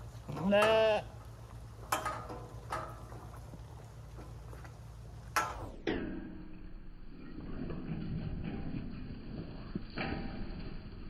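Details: Zwartbles sheep at feeding time on a County Kilkenny farm in Ireland after heavy rain: one loud, quavering bleat near the start, then faint knocks and thuds before the sound drops to a muffled, quieter background.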